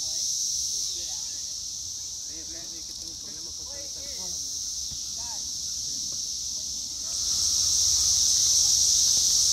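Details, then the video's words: Male Cassin's 17-year cicadas recorded in Lake Accotink Park, Northern Virginia, keep up a high, unbroken buzz while people talk for several seconds, then the buzz swells louder and brighter after the voices stop. "Magicicada Cassini Sounds - warming, calling, courtship"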